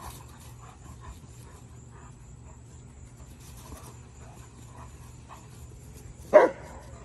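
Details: During water exercises, a male German Shepherd gives a single abrupt, loud bark near the end after several seconds of quiet background hum and faint rustles.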